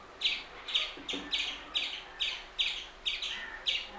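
An Indian palm squirrel gives a rapid series of sharp, high, bird-like chirps, about two per second.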